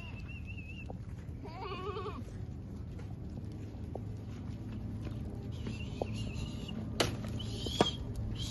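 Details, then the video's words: A goat on a farm gives one short, wavering bleat with rich stacked overtones just before the two-second mark. Birds whistle and chirp around it, a low steady rumble runs underneath, and a couple of sharp knocks come near the end. "الماعز في المزرعة"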